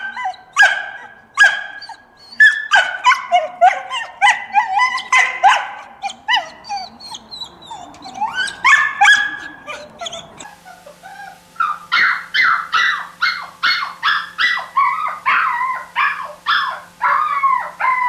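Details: Dog yipping and barking in rapid, high-pitched, squeaky bursts, about three per second, with tonal whine-like rises between them; a faint steady hum enters halfway through.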